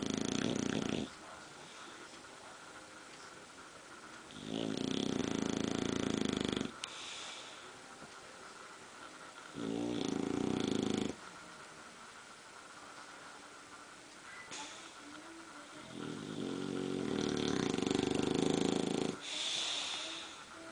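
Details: Two bulldogs sleeping standing up and snoring indoors, slow rough snores in long drawn breaths every few seconds, broad low rasping bursts separated by quieter pauses, faint background hiss.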